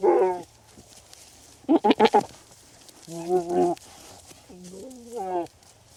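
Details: Male and female goats give wavering, nasal bleats, broken by a quick burst of short stuttering calls, while mating in the breeding season.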